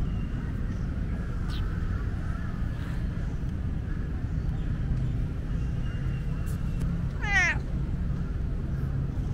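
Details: Talkative tomcat, the most talkative cat of Lumpini Park, gives one loud, brief meow with stacked harmonics that slide downward near the end. Steady low traffic rumble fills the background throughout.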